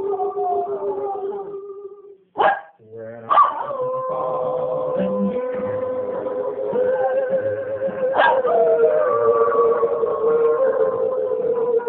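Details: Holly, a pet Cocker Spaniel, "sings" along to a favourite Slim Whitman song, Indian Love Call, giving drawn-out, quavering, tuneful howls that slide up or drop away, with brief yips early on.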